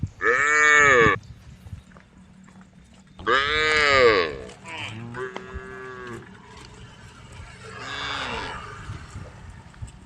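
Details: A group of tame female cows beside rice fields calls to the herd on the road, giving loud harmonic moos roughly every three seconds, the later ones softer and more distant.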